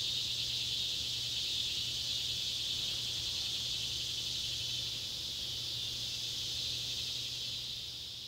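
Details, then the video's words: Summer-evening cicadas, Neotibicen pruinosus and Neotibicen tibicen, in Ballard County, Kentucky, on July 31, 2013, as sunset light falls on an old tobacco barn; a dense, continuous high buzzing wash that slowly fades and swells. "cicada sounds"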